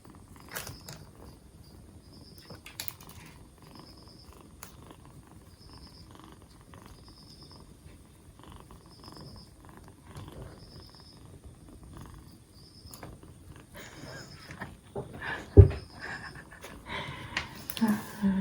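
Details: Close, steady rhythmic purring from a rescued two-month-old black Bombay kitten four days into care, cold improving and livelier; faint high chirps repeat throughout, and handling rustles and bumps rise toward the end.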